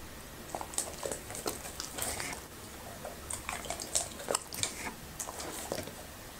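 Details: Labrador retriever Happy chewing okra and raw meat in a small room: wet, squishy bites and smacking crunches come in uneven bursts throughout, with quiet gaps between mouthfuls.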